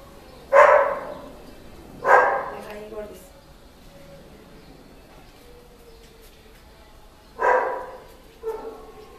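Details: Male Border Collie giving loud, harsh single barks at irregular intervals, two close together then a pause before another, with softer whiny tonal sounds and faint human voices in between.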